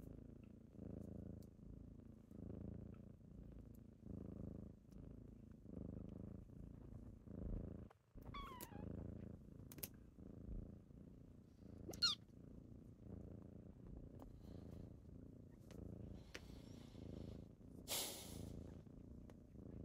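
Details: Morning purring from kittens waking their owner, a soft low pulsing rumble rising and falling with each breath, broken by a short pause, a couple of thin rising chirps and a brief rustling burst near the end.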